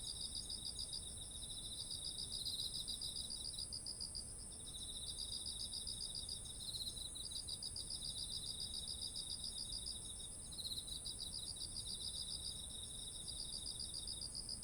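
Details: Beside ripe rice paddies in autumn, insects keep up a continuous high whine, with overlapping bursts of quick beaded trills repeating in phrases of several seconds; recorded on a ZOOM H1essential.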